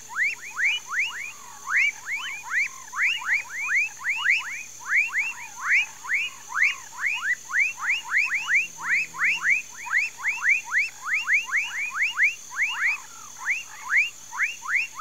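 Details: Dense frog chorus from a Mauritia flexuosa palm tree swamp in rural Pedro Gomes, Mato Grosso do Sul, Brazil, with many rising, bouncy notes overlapping continuously from several callers, over a low steady background drone.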